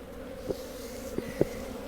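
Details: Western honey bees in a hive in winter, after a week below freezing, fan in response to an electronic smoker, giving a steady low droning hum broken by a few soft clicks.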